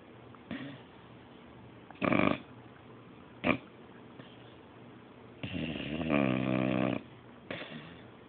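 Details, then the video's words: Beabull Magnus, an English bulldog and beagle cross, snores while asleep: short snorting bursts scattered through the stretch, then a longer vibrating, rattling snore and a final brief snort. "My Beabull Magnus snoring"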